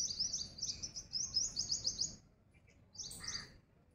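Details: Fast string of piercing, high chirps from a squirrel for about two seconds, a pause, then a few more sharp notes; steady low background noise.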